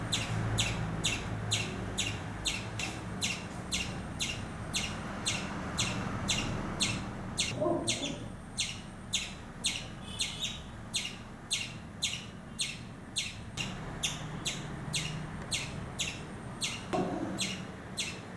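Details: Scared squirrel calling with a long run of crisp, evenly spaced chirps, roughly two per second, over low rumbling background noise with a few brief duller knocks.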